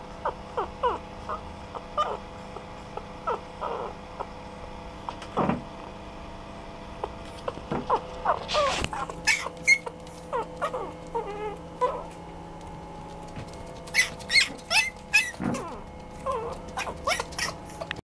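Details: Chihuahua-Poodle mix at a pet shop giving short, high, tonal whimpering notes in irregular bursts, with scraping, knocking and rustling sounds growing busier in the second half.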